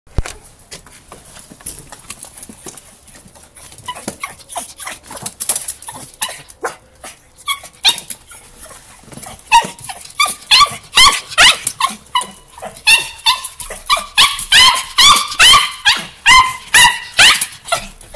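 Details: Carlos, a pet miniature pinscher, greets his owner arriving home, very excited. Scattered soft noises give way after about nine seconds to rapid, high, ringing yelps and whines, roughly two per second, rising in loudness toward the end.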